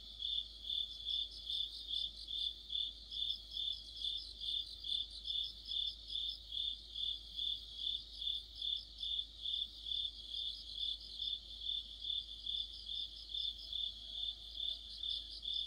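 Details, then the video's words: Crickets and fellow insects singing together in the middle of autumn by a streetlight; high, regular pulsed chirping about twice each second with a dense trilling layer above it, steady throughout. "가을의 한 복판 곤충들의 합창"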